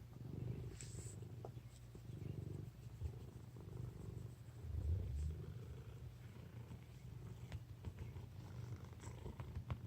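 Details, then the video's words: Sleeping fat house cat gives low, rumbling snores, each breath a murmuring swell repeating roughly every one and a half seconds, steady and close, with faint clicks in a quiet room. "Fat cat snoring"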